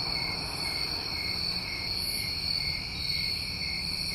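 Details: Constant high trilling from a New England summertime cricket chorus, steady in pitch, with a few faint higher bursts and a quiet low hum in the background.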